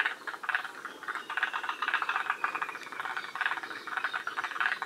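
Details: Forest green tree frogs calling at Shiriya, Aomori, one of the northernmost populations in Japan. Loud bursts of fast pulsed rattling, each about a third of a second long, are repeated in quick succession over a continuous chorus.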